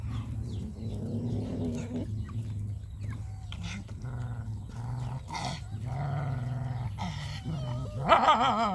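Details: Puppies eating their food make low, wavering growls and whines that rise and fall continuously, with brief higher yelps near the end over steady background hum.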